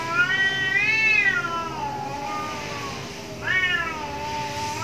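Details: Cats in an angry fight behind a house: a long undulating yowl that climbs, dips and drags on, followed by a second sharp-onset wail sliding downward, over low background hum.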